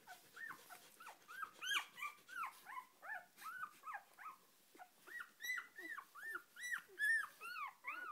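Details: Four-day-old Australian Shepherd puppy squealing while being petted: thin arched squeaks and whines, steady stream of about two or three per second, some sharper yelps near the end, no other sounds.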